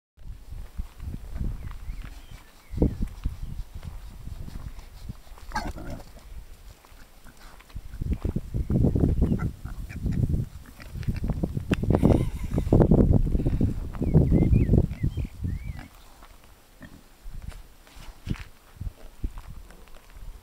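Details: Farm pigs messing about and scratching an itch while sheep and lambs are moved nearby; low, rough grunts and snuffling come in bursts, loudest in the middle, with rustling and thumping movement noise.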